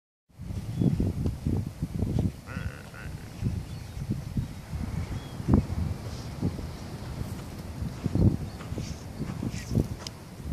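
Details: Galápagos sea lion pup in the Galapagos Islands crying for its mother's milk: one short, bleating cry with a layered tone rises briefly near the middle. Constant low rumbling outdoor noise runs throughout, and a man's voice follows.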